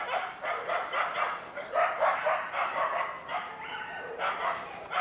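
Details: Karelo-Finnish Laikas, aged two years and eight months, working a penned boar: quieter, overlapping stream of continuous yapping barks blurring together over steady background noise.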